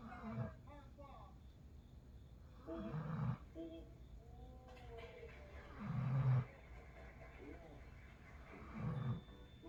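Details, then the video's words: A sleeping Golden Retriever snores in low, rumbling bursts that come roughly every three seconds, each swelling briefly and then fading. Faint voices can be heard in the quiet stretches between the snores. "골든리트리버 코골이.."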